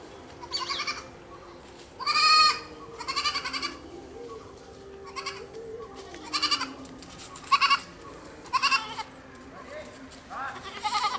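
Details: Goats bleating repeatedly, wavering nasal calls in short bursts roughly every second, several overlapping, with a lower drawn-out voice running beneath and some background chatter.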